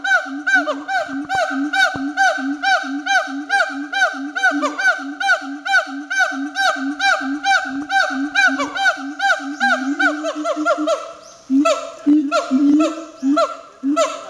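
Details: Captive Siamang at Chiba Zoological Park barking vigorously, a fast run of nasal, honk-like barks, about two per second, with rich harmonics; near the end the barks turn sharper and more ragged, with brief gaps between bursts.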